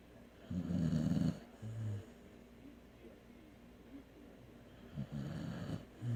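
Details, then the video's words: Asleep, a dog gives a coarse, buzzing inhaled snore followed by a shorter nasal puff, a quiet gap, then another rough snore building near the end. "Snoring dog"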